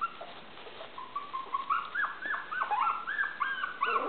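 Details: Five 23-day-old Maltese puppies playing and learning to walk on a hardwood floor: rapid run of short, high, chirpy squeaks and yips, some bending down then up, nearly continuous, over a faint background hiss.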